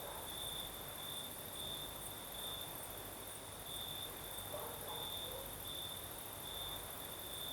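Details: Crickets singing at night in the south of Crimea during a night breeze: a steady, pulsing high trill that beats in rhythmic bursts without pause, over a fainter continuous hiss even higher and a soft low rumble.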